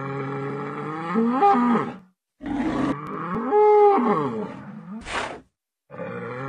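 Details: Adult intact male bull (Bos taurus) giving two long, deep, groaning moos that swell and bend in pitch, each followed by a gap, with a short breathy snort-like burst near the end and faint steady musical tones underneath.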